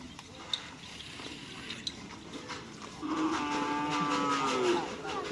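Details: Cattle in training for the karapan sapi bull race at the Asemanis field, Pamekasan: after three seconds of rustling field noise, one long, steady, low moo with rich overtones holds for nearly two seconds and then trails off.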